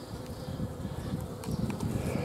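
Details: Many honey bees at a hive yard in July 2016 while honey is being harvested from biostup hives, giving a continuous low droning hum that swells slightly, with a few faint clicks above it.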